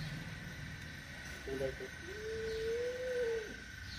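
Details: Mother cat with her kitten, angry: a couple of short broken sounds, then a drawn-out, steady, slightly rising tonal cry lasting about a second and a half before dropping off, with faint background hum.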